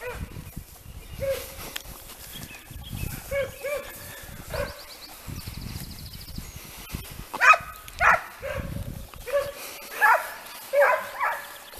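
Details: Segugi Italiani, the Le Frecce pack, on hare during training: scattered soft cries at first, then from about seven seconds loud, evenly spaced bays roughly once per second, outdoors in the countryside.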